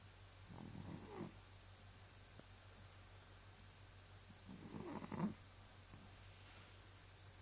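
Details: Cat snoring: two soft, low rasping breaths about four seconds apart, each a rough rumbling swell lasting under a second, over a steady low hum.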